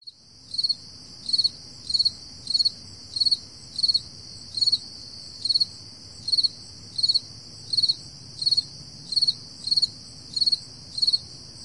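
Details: At 4 AM on an early summer morning in July 2012, a cricket gives high, clear chirps, each a short pulsed trill, repeated steadily about every two-thirds of a second.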